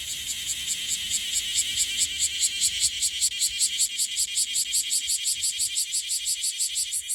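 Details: Bear cicada (Cryptotympana facialis) in Okinawa, newly emerged, still dusted with gold and wings not fully clear, singing unsteadily: a loud, harsh, high buzzing pulsed in rapid regular beats, about two or three per second, with a faint low rumble beneath.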